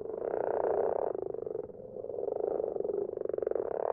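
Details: Garden pond at night with several common frogs giving soft, rapidly pulsed purring croaks that merge into a steady murmuring chorus, rising in loudness toward the end.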